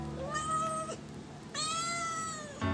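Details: Hungry pet domestic cat meowing to ask for food before eating: two drawn-out meows, the first short and the second about a second long, each rising at the start and then holding a steady pitch, with music playing in the background.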